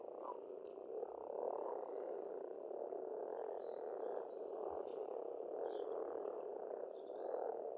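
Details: Frogs calling at a pond in Estonia in spring, an even, continuous rattling croak chorus with no breaks, with thin bird chirps faintly audible above.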